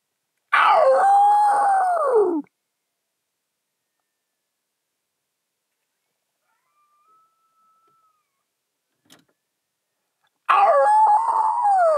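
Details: A coyote in Indian Wells during a thunderstorm gives two loud, wavering howls that slide downward, separated by a long quiet stretch.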